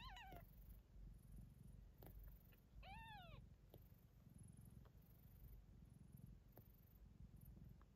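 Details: Ocicat kittens born November 14th 2021 give a low, steady rumbling purr. Two short, arching meows break in near the start and again around three seconds. A faint high hiss runs throughout.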